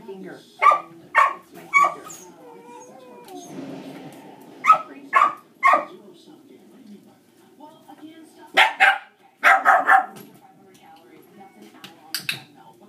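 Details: Dogs barking as a distraction during a shaping training session with a dog that is reactive to other dogs; sharp single and paired barks come in clusters every few seconds, while a person talks quietly throughout.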